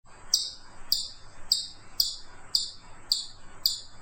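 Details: Chipmunk giving a steady series of seven sharp, high, downward-sweeping chips, one about every 0.6 seconds, over faint background hiss.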